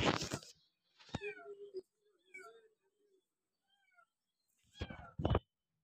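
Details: Kitten climbing a wall meowing: several short, high, downward-sliding harmonic mews spaced apart, with a steadier lower mew near the start, bracketed by loud scraping and thumping bursts at the beginning and end.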